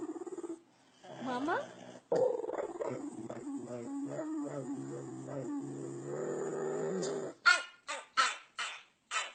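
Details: Puppies making funny pig-like noises: nasal grunts and rising squeaky whines, then a quick run of short, sharp snorting bursts near the end.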